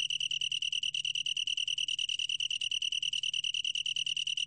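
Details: Long-tailed tree cricket song: a steady, clear, ringing trill with a pure tone, built from rapid, even pulses of about ten per second. It runs unbroken throughout, with no other sounds.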